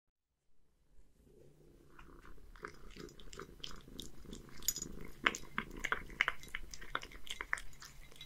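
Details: Scottish Fold cat, one-year-old male living in Japan, eating horse mackerel mixed with dry food indoors; irregular crunchy chewing and clicking bites, rapid and uneven, with soft purring underneath, starting after half a second of silence.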